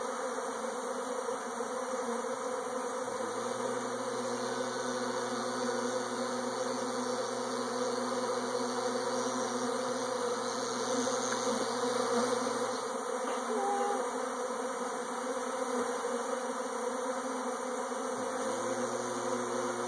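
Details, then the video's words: A swarm of bees hums steadily for the whole stretch in a rich, unbroken buzz. A low tone comes and goes, and faint higher squeaks are scattered through it. "Bees Swarming"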